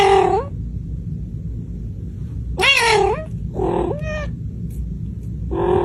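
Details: Little kitten meowing loudly to its mother for food, one of more than fifty gathered: five short, high meows, some rising and some bending downward, coming at uneven intervals over a steady low hum.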